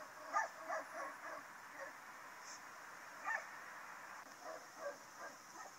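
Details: Stifled barking from two Rottweilers shut in a parked car in Rennes, France, for at least three days, one snout held by a muzzle, the other taped, reacting when someone approaches; brief choked yelps in loose clusters amid faint noise.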